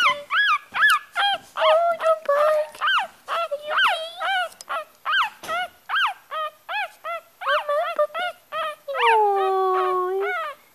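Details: Yorkshire Terrier puppy crying: rapid series of high, whiny yelps and squeals, several each second, with rising-falling pitch, ending in a longer drawn-out whine.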